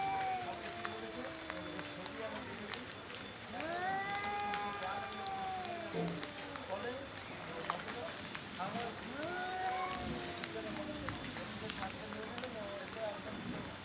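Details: Angry male cats quarrel over territory and breeding with drawn, bending yowls. One swoops upward into a long tone and is later answered by shorter rising wails, against a noisy outdoor background.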